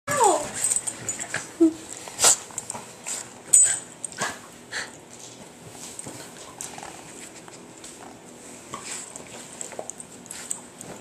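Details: Several Patterdale Terriers, excitable: a high sliding whine at the start, then short yips and whimpers with sharp clicking noises, fading to quieter whimpers in a small room.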